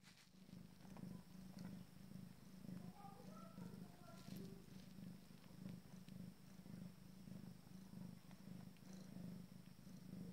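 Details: Abyssinian cat with her first litter during their first family meal. A deep, steady, throbbing purr runs throughout in rapid pulses, with a few faint, thin squeaks mixed in partway through.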